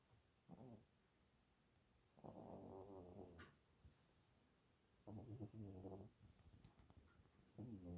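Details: Pet cat snoring indoors, raspy breathy snores in bursts of about a second, the longest around two seconds, separated by quiet pauses.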